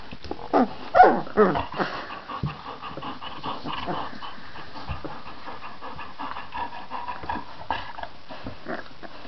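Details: Irish Red Setter puppies, 18 days old, from a litter of Dubliner Mac Mio and Dubliner Marzipan, give several high, wavering whimpers and squeaks over the first two seconds, then quieter snuffling, panting and soft squeals through the rest.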